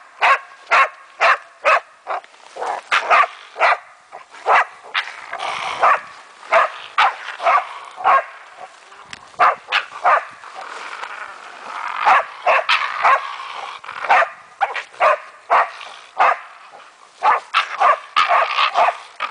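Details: German wachtelhund named Meya barking while playing with a raccoon dog, sharp broadband barks in rapid irregular bursts throughout, some softer yelps between loud ones.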